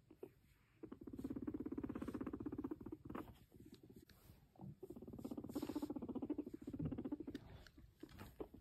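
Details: Domestic guinea pig approaching its owner and purring, giving long, low, vibrating pulsed rumbles in two main bouts separated by a brief break, with faint handling or movement noises.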